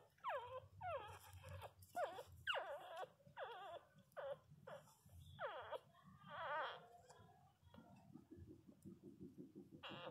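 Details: Newborn Miniature Pinscher puppies asleep and dreaming, crying in a rapid series of high, thin whimpers that swoop down and wobble, about one each half second, over a low steady hum.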